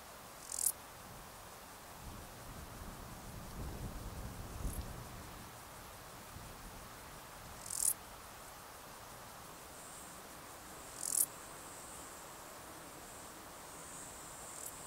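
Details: Male Stal's Saddle Bush-cricket calling in the Sierra de Guadarrama on 13 July 2019: brief, very high, hissing chirps repeated every three to four seconds, with a faint steady high buzz between them and low rustling.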